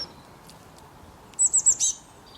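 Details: A squirrel gives one loud burst of four quick, shrill, very high chirps after a second of near silence, over soft background hiss.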